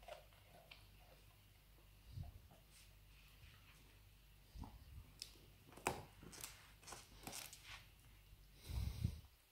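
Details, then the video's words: Nero, a pet Labrador, gnawing a dried beef rawhide bone he loves; scattered sharp clicks and crackles from teeth on the hide, a louder crunching burst near the end, steady low room hum. "ASMR Dog chewing bone"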